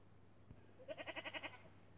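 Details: Australian miniature goat, kept near the neighbours' sheep and making friends with them, gives one short quavering bleat of under a second that pulses about seven times, over a steady high electrical whine and low hum.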